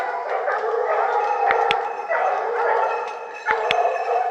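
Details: Hunting dogs, Tina among them, holding wild boar at bay in the Cévennes, baying steadily; rolling overlapping howled barks from several dogs with brief sharp clicks near one and a half and three and a half seconds.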